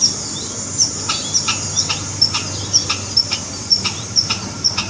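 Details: Alarm calling by a red squirrel, a quick series of clipped, percussive chucks with a high tonal tick, about two per second, over constant low hiss.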